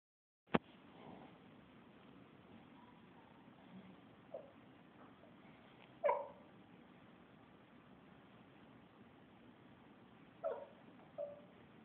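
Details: Dog asleep and dreaming, crying in his sleep indoors: soft, brief whimpers and squeaks scattered through a quiet room at intervals of several seconds, two louder yelps near the end, after a sharp click at the start.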